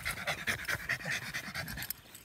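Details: American Staffordshire Terrier in protection training with a decoy, heavy fast panting in regular breathy bursts, tapering off toward the end.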